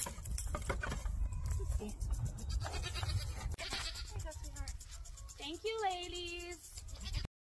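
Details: Dairy goat on a homestead during milking, giving a wavering, nasal bleat lasting about a second near the end, preceded by shorter broken bleats; clattering milking and handling noises, a low rumble and a person speaking around it.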